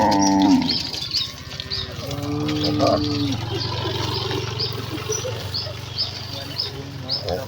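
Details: A herd of rural village cattle heading excitedly to their pen; one loud moo opens, followed by a lower, flatter lowing, then mostly chirping birds and background rustle.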